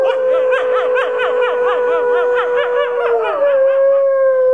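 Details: Red wolf pack at the Wolf Conservation Center, South Salem, New York, howling in chorus with other captive wolves. One steady, level howl is held while a fast, warbling, yodel-like voice pulses over it before it settles into a single tone.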